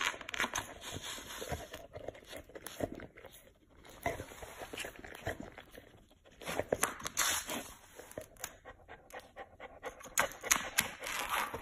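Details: Chow Chow panting on a very hot day while licking a big block of ice, quick rough breaths at an uneven pace mixed with wet licking and clattering noises, a voice asking what is there.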